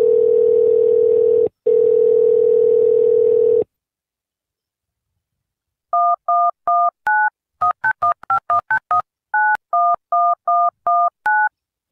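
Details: A steady dial tone breaks off, then a run of electronic telephone keypad beeps follows, with no animal voice anywhere.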